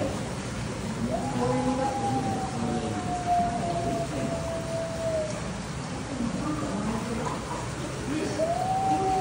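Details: Arctic wolf in captivity at Nasu Animal Kingdom, Japan, on 16 August 2024, howling back and forth with another wolf indoors: a long, steady, slightly falling howl of about four seconds, then a second rising howl, over constant loud background noise.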